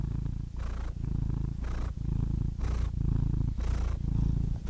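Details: Cat purring close up, heavy low rumble alternating with breathy, raspy inhalations about every second in a steady rhythm.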